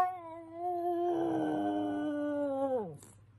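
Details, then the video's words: French Bulldog giving a drawn-out, heartfelt "aguuuu": a steady, slightly wavering tonal moan lasting nearly three seconds, then sliding sharply downward as it fades out; a quiet background otherwise. "this aguuuu really came from the soul"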